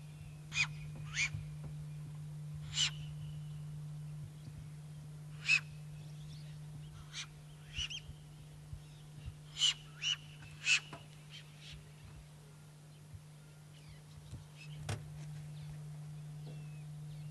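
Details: Puku giving warning calls: sharp, short whistled blasts with a breathy, noisy edge, about a dozen spaced irregularly one to three seconds apart, over a steady low hum.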